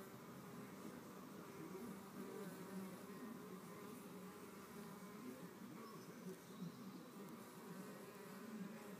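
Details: Fighting red mason bees at a cavity with unfinished mud cells: an unbroken low droning buzz that rises and dips slightly in pitch as the bees shove and bite, heard over a soft steady background hiss.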